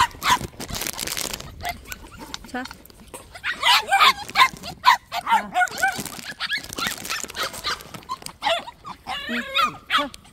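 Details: Puppies at a plum orchard, white dogs each tied separately during feeding; clustered high-pitched yelping barks and whiny yips, some overlapping, alongside human speech.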